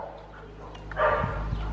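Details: Dog from Cyprus, one of three in the household, giving a single short, coarse bark just after mid-clip, set over a steady low hum with quiet room noise.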